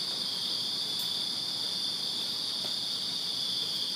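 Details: Summer-night chorus of crickets in a Virginia backyard, a constant shrill high-pitched trill holding steady throughout, with a brief faint tick near the start.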